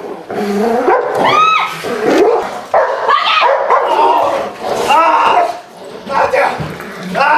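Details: Aggressive barking from a male giant schnauzer during protection work: irregular, rough barks and yelps with gaps between bursts, mixed with a man speaking throughout.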